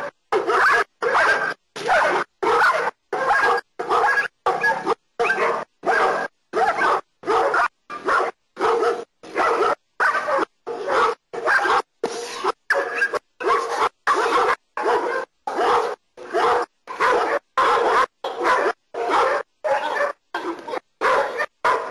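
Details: German Shepherd Nero barking during protection work training in Costa Rica: loud, harsh barks repeated steadily, roughly one and a half per second, in an unbroken run with almost no pauses.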